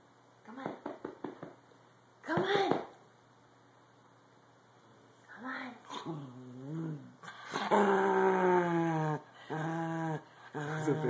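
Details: Cranky female corgi on a bed indoors, told to get off, answers with drawn-out, moaning grumbles that rise and fall, long wavering groans in the second half, mixed with a person's coaxing speech and soft music.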